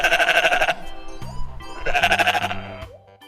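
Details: Domestic sheep bleating in a children's lesson on domestic animals: two strongly tremulous, wavering bleats, each under a second, with background music in the pause between them.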